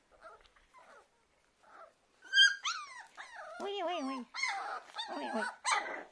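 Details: Puppies whimpering and squealing: faint chirps at first, then a run of loud, wavering, high-pitched whines and yelps, with a woman speaking Russian nearby.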